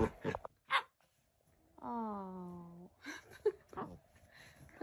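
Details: Pet cat in a room uttering one steady, slightly falling meow lasting about a second, framed by soft rustling, thumps and faint voices.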